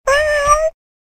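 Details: Domestic cat giving a single clean meow lasting under a second, a steady mid-pitched tone with a slight rise at the end, no other sounds.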